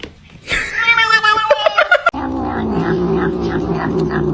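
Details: Domestic cat giving a drawn-out, harmonic caterwaul that wavers and steps in pitch, breaking into a lower, steady, rough tone for the last seconds, recorded indoors.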